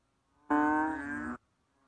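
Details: One short, loud, mooing bellow of a banded bullfrog (Kaloula pulchra), deep and nasal, lasting under a second, starting strongly and fading slightly before stopping sharply.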